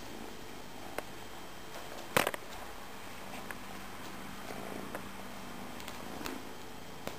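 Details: Soft continuous purring from a house cat, Tejko or Tigra, a low even drone running through the whole stretch, broken once by a sharp loud knock a little past two seconds.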